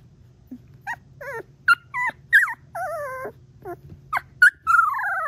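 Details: A 3-week-old female Golden Retriever puppy gives a string of high, wavering trills and squeaky whines, her first trills, near her mother and brother.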